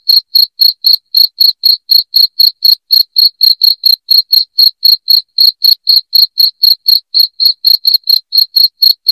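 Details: Unbroken shrill chirps of a cricket, intended to drive rats from the house, a fast, regular series of high ticks near four per second, clean with no other sounds.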